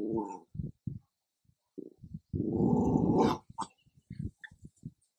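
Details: Dachshund at play makes short low grumbles, then a sustained rough growl of about a second that rises at its end, followed by scattered soft huffs and snuffles.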